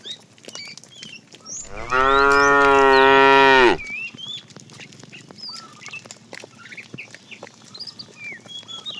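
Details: Tame, fat cow calling the female while the herd is driven in the afternoon: one steady, rich moo of about two seconds, level then dropping at the end, over scattered chirping of small birds.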